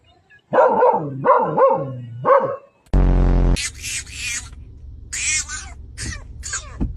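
A dog gives three rising-and-falling, yodel-like whines, then a harsh buzzing burst and breathy snorts.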